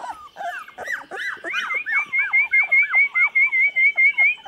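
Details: Chocolate Labrador pups at 24 days old, filmed 8 November 2014: a run of loud arched whimpers repeating roughly twice a second, over a faint wavering high whine from another puppy.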